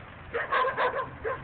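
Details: On 28 December 2009, in winter, several chained dogs on short chains bark behind a house in short, sharp bursts, and a nearby dog joins in barking.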